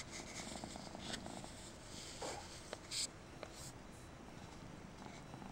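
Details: Persian kitten named Mariah purring steadily, a low continuous rumble with soft rhythmic pulses, broken by a few brief clicks and rustles close by.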